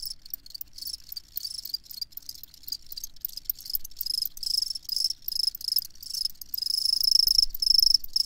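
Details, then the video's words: Crickets give a loud, shrill, pulsing chirp at a steady high pitch, repeated in quick bursts. It swells noticeably stronger toward the end, over an otherwise quiet background. "Crickets Chirping"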